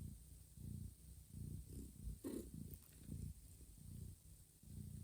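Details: Mother cat Johanna purring while grooming her sleeping kittens in a quiet, warm room; a low rumbling purr pulses steadily at about one cycle per second, with a brief soft rustle or lick midway.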